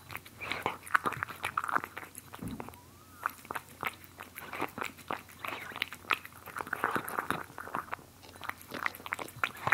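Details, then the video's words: Cats biting and chewing food in a close-miked ASMR recording: sharp crunchy bites spaced by short pauses, clusters of wet clicks between them, one faint rising squeak early on, quiet room behind. "ASMR Cats Eating"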